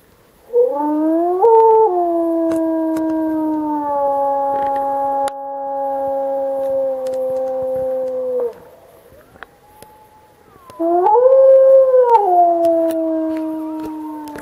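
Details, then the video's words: Howling wolves in the Alpi Apuane park, 2014, where pups responded to broadcast recorded howls: a rising then long level howl of about eight seconds, a faint thin tone in the pause, then another howl that swells upward and eases down. "Wolf howling"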